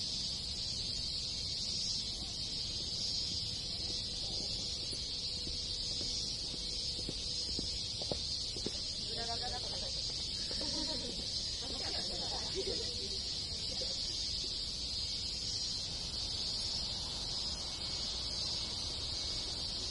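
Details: Dense summer chorus of many cicadas in rural Japan, an unbroken high-pitched buzzing wash, with faint lower warbling calls rising briefly in the middle.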